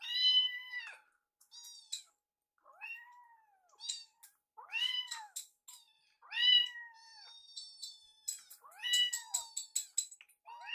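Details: Baby rescue kittens Piyo and Yuki at mealtime, Yuki sneaking Piyo's leftovers; a steady run of about eight arched, rising-falling meows, some loud and piercing, with short pauses between.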